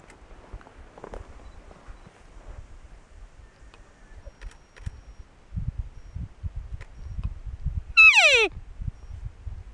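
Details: A big narrow bull elk bugling during the September rut: after quiet low rustling and thumps, one loud, shrill whistled bugle with strong overtones sweeps sharply downward in pitch near the end.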